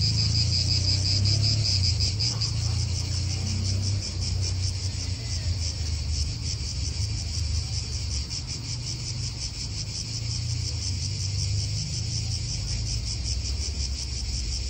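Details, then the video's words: Cicadas in an Italian park, a continuous dense buzzing chorus with a pulsing high band, wind and low traffic rumble beneath. "italian park ASMR Cicadas wind real atmosphere in an Italian park birds"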